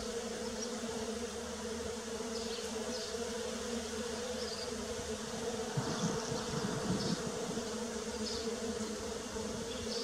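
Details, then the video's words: Bees in early spring drone with a steady, low buzz that swells and fades as individuals fly close by. "Bee Sounds _ Early Spring _ Sound Effect"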